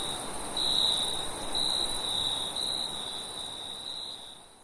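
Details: Crickets at night with wind sounds: four short high chirp bursts about a second apart over a constant thin tone and gentle breezy hiss, fading toward the end.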